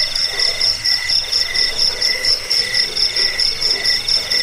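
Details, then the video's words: Chirping crickets used as a rat repellent, a sleep aid and a master sound for songbird training; high, metallic pulsed chirps in regular bursts roughly twice per second over a lower steady ringing layer. "Suara jangkik pengusir tikus pengantar tidur"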